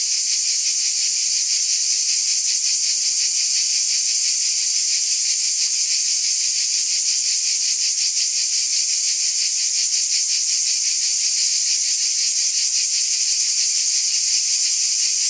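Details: Many cicadas calling together at night in summer, forming an unbroken high, sizzling drone with a fast regular throb running through it for the whole stretch.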